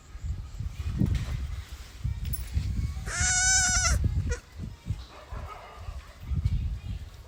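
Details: Newborn goat kid; one clear, quavering bleat lasting about a second, rich in harmonics, stands out midway, while people chat nearby and low handling noises thump before and after.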